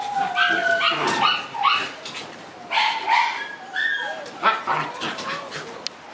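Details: Six-month-old black Shiba Inu puppies at outdoor play: bursts of high yips and whimpers, short barks and squeals clustering in quick runs, several animals calling over one another.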